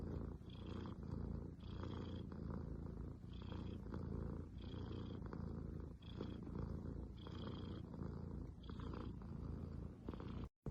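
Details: Domestic cat purring, part of a curated collection of cat purrs offered as soothing therapy; a steady low rumbling purr with rhythmic pulses of brighter breathy noise about every second and a half.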